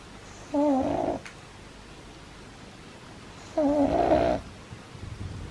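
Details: Sleeping pug puppy snoring hard: two long, rough, whistling snores three seconds apart, each with a wavering nasal tone, separated by quiet breathing in a small indoor room.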